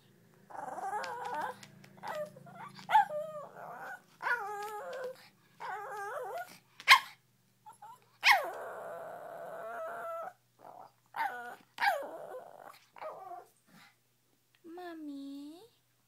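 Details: Princess, a female Shih Tzu, indoors in the early morning waking her owner to open the door: a run of whimpering, yelping whines in bursts, a few sharp yips, and a long rising whine at the end.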